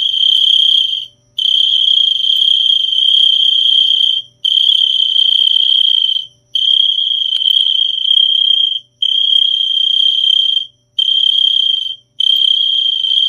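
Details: Steady high cricket trill in long bursts of one to three seconds with short clean breaks between them, even in pitch and loudness throughout, with no other sounds.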